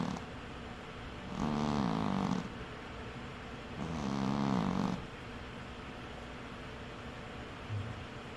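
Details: A pet cat asleep, snoring in two slow, buzzy, rattling breaths about three seconds apart, low and droning, followed by a quiet stretch with soft room noise.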